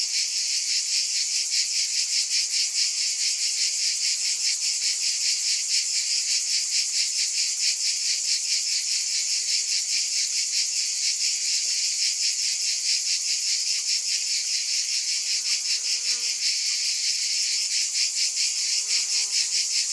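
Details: A chorus of cicadas keeps up a continuous shrill buzz, beating in quick even pulses, with a few faint low chirps from other insects late on.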